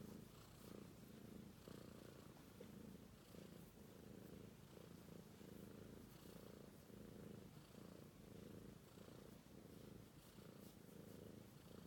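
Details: A British Shorthair kitten called Romeo purrs steadily in its sleep: a rumbling, rhythmic throb swelling about 45 times a minute with each breath in and out.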